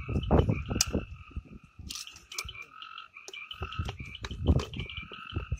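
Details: Amboli hills forest frogs, Sindhudurg: a steady, overlapping chorus of tonal croaks holding two bright pitch bands, broken by sharp clicks and low thumping knocks.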